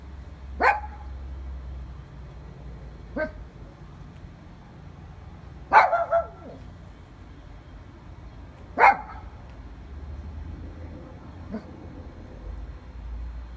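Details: Several dogs barking, single sharp barks spaced a few seconds apart, some doubled, over a low steady background rumble.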